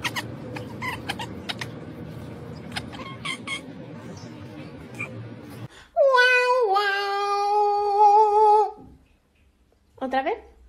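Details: Domestic cat giving a long, drawn-out meow of nearly three seconds, held steady then sliding down, followed after a pause by a short rising meow; muffled room noise and faint voices come before it.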